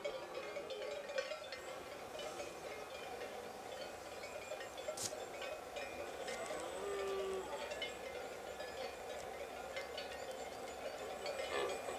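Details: Steady metallic chiming, like wind chimes or bells, rings over a low background murmur.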